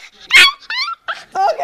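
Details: Puppy objecting to having its picture taken, giving short high whining yelps in quick bursts, each with a bright rising and falling tone, while a woman exclaims nearby.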